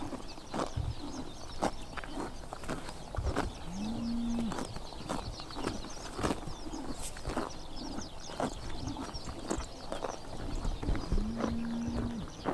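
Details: On a summer morning in Tuv province, Mongolia, horses munch grass with rapid crunchy bites, while birds chirp high overhead and two brief low droning calls, possibly from cattle, sound at about four and eleven seconds.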